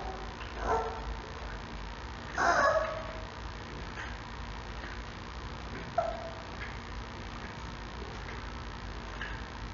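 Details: Six-week-old male giant panda cub in captivity at a zoo, calling for its mother in the morning: a few short, faint squeaky calls, the clearest near the middle, over steady background hiss.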